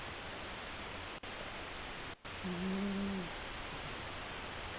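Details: Male pet cat Seven sleeping, with one steady, humming snore lasting under a second over continuous hiss, after two short gaps in the sound.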